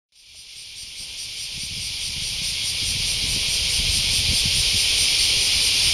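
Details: Japanese cicada recorded in August 2019: a shrill, continuous electric buzz rising from silence to full strength, with a faint fast pulsing running through the sustained drone.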